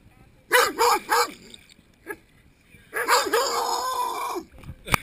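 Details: On a warm summer afternoon at a swimming pool, a Rottweiler barks at an underwater GoPro and a hand in the water: a burst of three quick barks, then a longer string of wavering, whining yelps.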